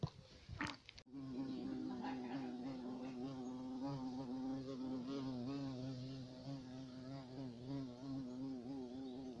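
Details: European carpenter bee (black bumblebee) giving a steady, low droning buzz with rich harmonics and a slight wavering pitch, held continuously for about eight seconds after a brief click at the start.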